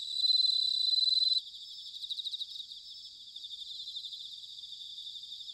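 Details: Autumn bell cricket song from Sanuki in Chiba, Japan, opening with a loud ringing pulsed trill that stops after about a second and a half, leaving quieter overlapping trills from several more crickets.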